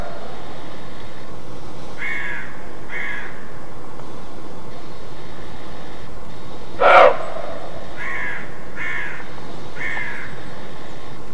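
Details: A roe deer gives short, hoarse alarm barks in a loose series in East Germany (Mecklenburg-Vorpommern) on an icy-cold, clear, sunny day. Most barks are distant and faint, with one sudden loud bark midway; hunters call this alarm call "Schrecken".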